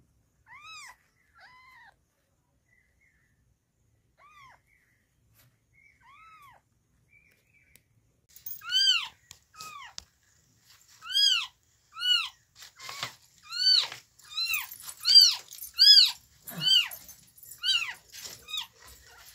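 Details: Newborn kittens of the cat Chhumpu in the morning: a few soft, high-pitched arched mews at first, then from about the middle a rapid, louder run of overlapping squeaky cries, roughly one or two per second.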